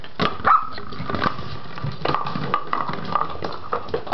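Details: Sixteen-week-old West Highland White Terrier puppy named Somner playing with a plastic bottle indoors, giving short sharp yaps and barks scattered through the clip amid crinkling and knocking of plastic in a small room.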